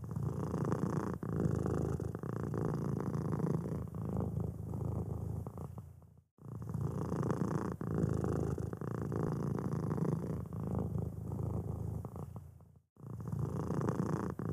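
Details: Steady deep purring from a white fluffy kitten scratching its ear, a continuous pulsing rumble broken twice by short silent cuts.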